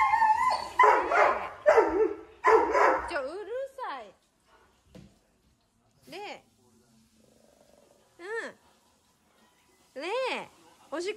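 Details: Reira, a Doberman born in 2010, during her lung cancer illness in October 2020: a few seconds of speech first, then four separate arched, tonal whimpering howls spaced roughly two seconds apart, each sliding up and back down.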